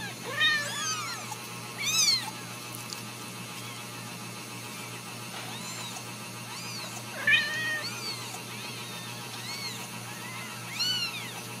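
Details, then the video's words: Ragdoll kittens, born and raised in a home in central Kansas, let out scattered high-pitched meows in short clusters, separated by quieter stretches of background hum. "Steward Ragdoll Kittens"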